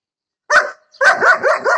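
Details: Young female German Shepherd, one year old, barking while attacking a lawn mower: one sharp bark, a brief pause, then a quick run of four rough, harmonic barks in under a second.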